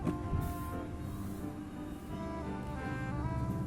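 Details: Dense music over a low rumbling background, with no animal calls.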